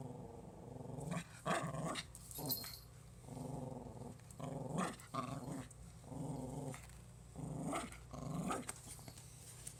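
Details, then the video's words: Pomeranian puppy growling in play to scare its owner, giving repeated rough growls about a second long, roughly one every two seconds, with brief huffing breaths between them and faint background hum. "Cute Pomeranian dog trying to scare me"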